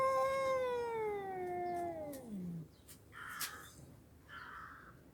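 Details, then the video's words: Red cat giving a long, loud meow that starts high and glides steadily downward for over two seconds, ending low; afterward faint household knocks and rustles. "Funny sounds😁 MICKEY and the red cat"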